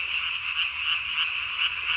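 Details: Night calling of a Japanese tree frog, vocal sac under the chin ballooned to body size, filmed 3 May 2020; a high, even, rattling trill with slight regular swells roughly every half second.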